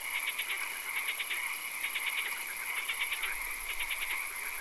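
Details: Frogs calling in a swamp at night: rapid bursts of clicking, pulsed croaks repeat roughly every second over a steady high chorus and a constant shrill hiss above.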